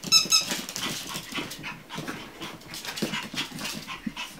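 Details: Chihuahua puppies at a kennel giving thin high squeaks at the start, then soft panting and shuffling sounds close by in a small indoor room.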